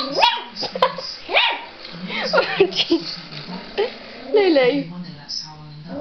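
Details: Yorkshire Terrier puppy named Lulu reacting to an old battery-powered robot dog toy at home: a few short, sharp harmonic barks break through, mixed with a woman's voice talking to the dog and some background music.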